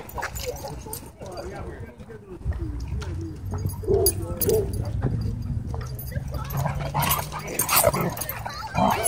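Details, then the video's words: Dogs at a dog park, happy play interrupted by a dogfight: irregular barks and rough bursts with people talking over them and a steady low hum underneath. "Happy Dog Park Play Interrupted By Dogfight"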